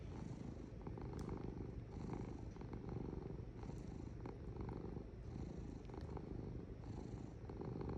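A domestic cat purrs steadily, a low rumbling vibration that swells with each breath in and out.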